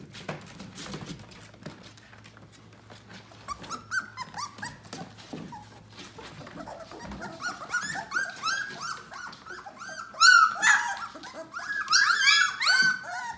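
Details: Yellow Labrador Retriever puppies aged 18 days, starting with soft rustling and low grumbles, then building into a chorus of high wavering whimpers and squeals from several pups, loudest near the end.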